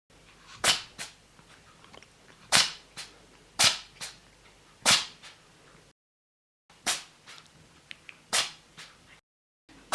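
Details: A male cat sneezing several times indoors: sharp, hissing bursts, each followed by a softer echoing snort, about one every second or so, with brief silent gaps between runs.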